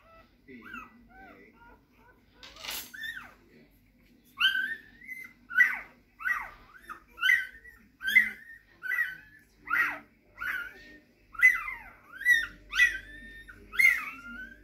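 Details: Rhodesian Ridgeback puppies whining indoors: after a few soft early cries, a steady run of high, arching whimpers that rise then fall, repeated roughly every three-quarters of a second, each a short thin squeal over a quiet background.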